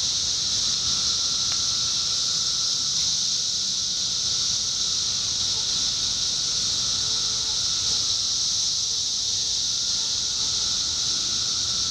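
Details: Massed 17-year cicadas in Indiana in summer 2021 give a steady, high, hissing drone, unbroken from start to finish.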